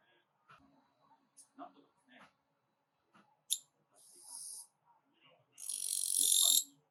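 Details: A katydid (Japanese kirigirisu, an autumn insect) gives a sharp tick followed by loud, high, scratchy buzzes lasting about a second each.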